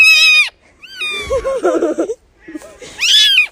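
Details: Kittens give shrill, high-pitched mews that arch up and fall away, with a person talking between them; one seems unhappy.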